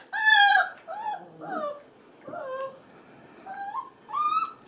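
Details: F1b Goldendoodle puppies aged five and a half weeks, the males crying in the background as the females play with kids; a string of short, downward-sliding whines and yips, several falling in pitch, with brief pauses between.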